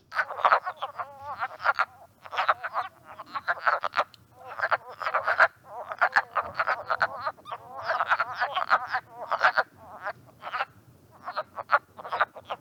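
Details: Wood frogs give hoarse, clucking mating croaks in quick overlapping bursts, like a flock of quacking ducks, from a vernal pool teeming with breeding frogs in Mohican State Park, Ohio, in early March.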